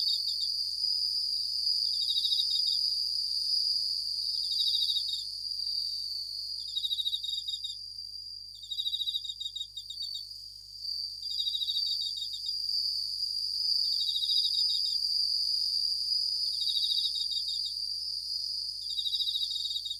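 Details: Night chorus of Japanese bell crickets: repeated high, tinkling pulsed bursts recurring every one to two seconds, layered on an unbroken whining insect background.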